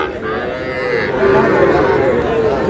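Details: Young Sahiwal bulls and heifer calves, purchased by a farmer from Shariatpur on 11 August. A long, steady, low moo with rich overtones lasts most of the moment, while voices chatter nearby.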